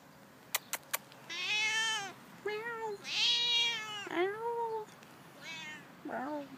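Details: Friendly street cat meowing outdoors: after a few sharp clicks, a series of loud, drawn-out, wavering meows, some rising then falling, separated by short pauses, ending with a shorter, lower meow.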